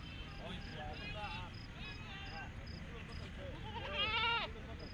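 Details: Goats at the Friday market in Qutur on 27 September 2024. Several quavering bleats rise through crowd chatter, ending in one loud wavering bleat, with a steady high electronic beeping tone throughout.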